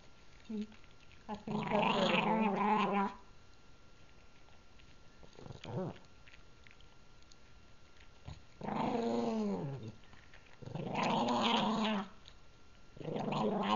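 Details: Indoors, Gurgi the pug guards the treat he is chewing, letting out several rough growls of one to two seconds, some sliding downward at the end, with chewing clicks and quiet pauses between bursts.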